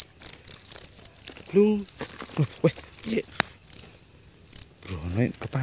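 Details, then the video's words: Cricket taken on a night hunt in Indonesia, pulsing out piercing high chirps in a quick regular train, briefly pausing, as men talk and exclaim nearby. "MONSTER JANGKRIK SUARANYA DASYAT"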